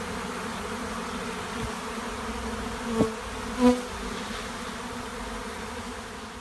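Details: A swarm of Western honey bees (Apis mellifera) at a monastery apiary fills the air with a steady, low, droning hum.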